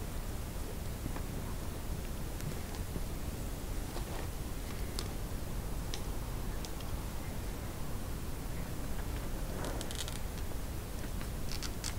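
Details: Continuous low rumbling noise with faint rustles and small clicks in a quiet room, and no animal calls.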